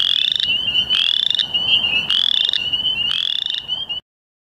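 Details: Western chorus frogs give high, rasping trills on 2 May 2013 in Ontario. One nearby caller bursts out about once a second over the chorus.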